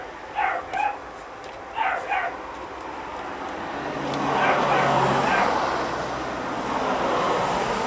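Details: Smooth and long-haired Chihuahua puppies born 26 September 2009 let out two quick pairs of sharp, high yaps in the first two seconds, after which a broad hissing rumble of background noise swells and fades.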